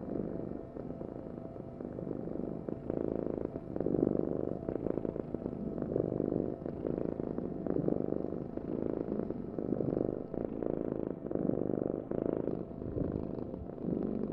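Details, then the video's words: Domestic cat purring steadily, a low rumbling vibration pulsing in slow waves of breath, continuous and close with no other sounds. "Heal with the ultimate cat purring vibration"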